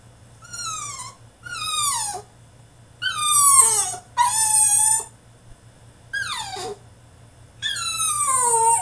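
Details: French Bulldog throwing a tantrum in his cage, letting out repeated loud, sliding whines and squeals that drop in pitch, six bursts in close succession with brief gaps, indoors over a low background hum.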